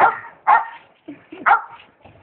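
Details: Brazilian Mastiff barking, three loud deep barks about half a second to one second apart, with softer short sounds between them and a person speaking briefly nearby.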